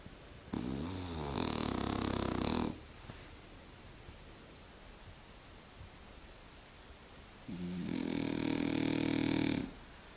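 A French bulldog snores in two long, rattling, buzzy breaths separated by quiet.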